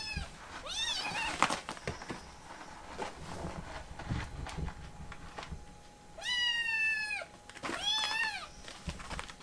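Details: Foster-care rescue kitten resisting being cuddled: a short meow early on, then after several seconds of rustling, two long, strained meows close together, each arching up and sliding down.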